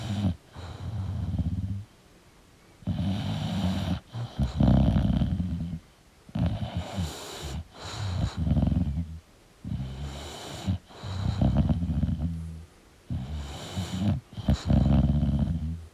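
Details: Snoring from a sleeping English bulldog. Deep, rattling snores repeat roughly every two seconds in a steady rhythm, each a rough low buzz with airy hiss at its edges.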